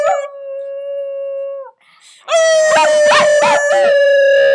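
A puppy gives a steady, drawn-out howl, then a second howl that wavers and quavers.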